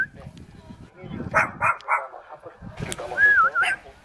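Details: Cute dog in Jeonju, North Jeolla Province, South Korea, calling as if asking to play: a short run of three tonal, harmonic barks about a third of a second apart, with a thin wavering whine and human voices nearby.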